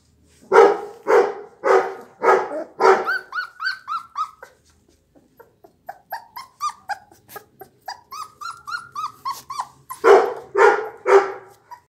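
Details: Blue Pit Bull puppies, Raven's offspring, twenty-four days old: a string of five steady barks gives way to a long series of high, thin, bending whimpers and squeals, ending in three more barks.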